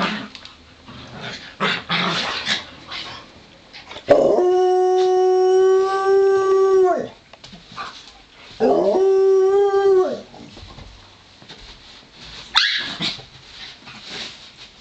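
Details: Pomeranian named Romeo and Joplin, a Ridgeback mix, wrestling in play; two long, steady, harmonic howls of about three seconds and two seconds, separated by scuffling and panting, with a sharp yelp near the end.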